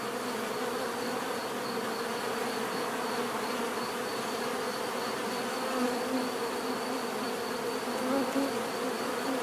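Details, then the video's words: Many bees droning in a smooth, continuous hum, with a couple of slightly louder buzzing passes and a faint high-pitched pulsing tone throughout. "bees therapy relaxing natural buzzing sound"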